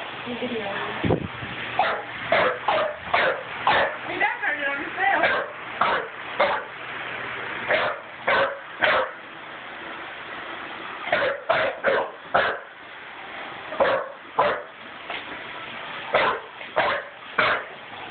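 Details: An English Bulldog of about 6 months, which dislikes vacuum cleaners, gives rough, irregular barks in quick bursts at a vacuum cleaner while a person talks nearby.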